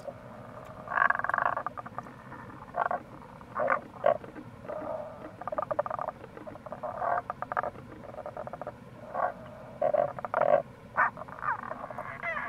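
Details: Tago's brown frogs near a gorge at Kamo River, Itoshima, Fukuoka, in April: frequent short croaks and grating bursts, roughly one or two per second, several callers overlapping, above the steady roar of flowing water.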